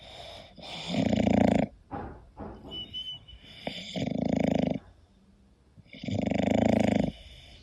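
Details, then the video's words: English Bulldog snoring while asleep, three long buzzing rattly snores with short snuffles and sniffs between them, steady indoor quiet in the background. "My english Bulldog snoring"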